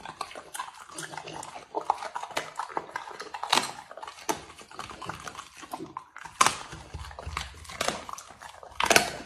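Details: Dog eating food in a small room: rapid crunchy bites and sharp chewing clicks, with louder snaps every couple of seconds among continuous softer mastication.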